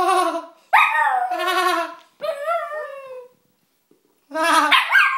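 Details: Pet dog Perry howls at a grating human laugh; rising and falling harmonic howls alternate with quavering laugh bursts, broken by a short silent pause before the exchange resumes.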